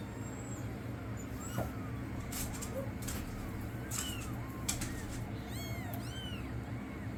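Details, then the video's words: Week-old rescued kittens, brought in from the cold, give thin high rising-falling mews scattered through the clip, several overlapping near the end, over a steady low hum. "Sweet baby kittens just a week or so old"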